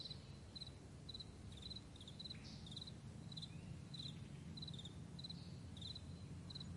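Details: Meadow crickets at morning trade sharp, high chirps, some single and some doubled, roughly every half second, with an occasional faint squeak and a gentle low murmur beneath.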